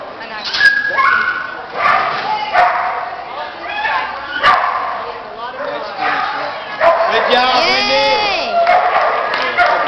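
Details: Border Collie competing in an AKC Agility Excellent Standard trial in Elkton, Florida, on January 31, 2009; high, arching yips and whining cries come in bursts over several seconds, mixed with a person talking and background noise from the event.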